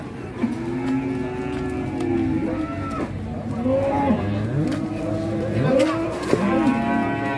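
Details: Large agitated cattle coming down off a truck on arrival, several low drawn-out moos overlapping one another, with background music and voices.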